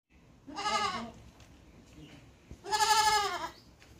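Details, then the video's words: Goat bleating twice, each call a harsh, quavering cry about half a second to a second long, separated by a quiet gap with faint background noise. "Goat wonderful sound"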